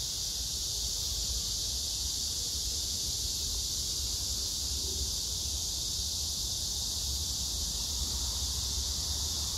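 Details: Cicadas calling on 9 August 2024 at Hwarang Park by the Gyeonggi Museum of Art, Choji-dong, Danwon-gu, Gyeonggi Province, among pink crape myrtle blossoms, with grass insects. A dense, unbroken high-pitched buzzing drone holds steady throughout, with a faint low rumble beneath.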